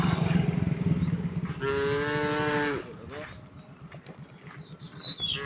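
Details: Calm tame cows moving together over a wooden bridge to the fields; one clear drawn-out moo in the middle, preceded and followed by low rumbling footsteps or engine-like noise and a short high chirp near the end.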